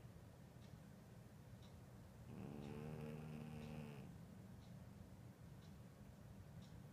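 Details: One slow, drawn-out snore from Ed the cat, lasting about two seconds, a soft buzzy rasp with a wavering tone, set in a quiet indoor room.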